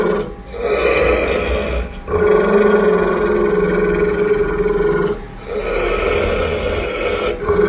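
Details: Pit bull growling angrily at its owner, with feeding mentioned: long, steady, buzzing growls that pause briefly about every three seconds for breath, then resume at the same pitch.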